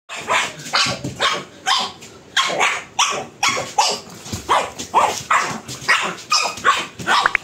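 A pug barks repeatedly in quick, high, raspy yaps, about two each second.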